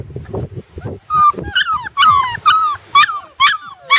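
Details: Puppies on their first day outside give a run of high, arching whimpers and yips, roughly two a second, after a few low thumps and rustles at the start.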